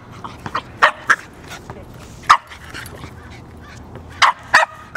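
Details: Pet dog Magneto, excited while playing fetch with a basketball on his work walk, gives bright irregular barks and yips, a quick double bark early, one loud bark midway, then three more in fast succession.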